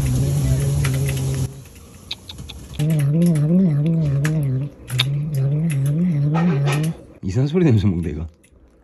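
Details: Rescued stray cat Bori grumbles angrily over food, giving low wobbling growls in several bursts of one to two seconds separated by short pauses, ending in a rising and falling whine, with music and speech behind.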